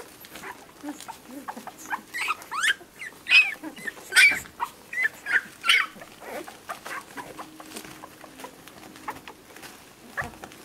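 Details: Whippet puppies seven days old, an orange female among them, giving a run of loud high-pitched squeals and whines, densest in the middle, trailing off into softer squeaks and rustling toward the end.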